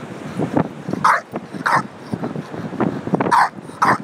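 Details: Bulldog on Ocean Beach, San Francisco, angry and frustrated with a tire he found, recorded on a phone app: low grunting growls between four sharp, hoarse barks spaced roughly half a second to a second apart.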